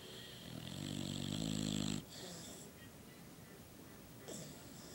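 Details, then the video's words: Snoring from a sleeping female Boxer dog with a flattened nose: one drawn-out, gravelly, vibrating snore rising in loudness for about two seconds, followed by soft breathing and a faint short snort near the end. "Funny Snoring Dog"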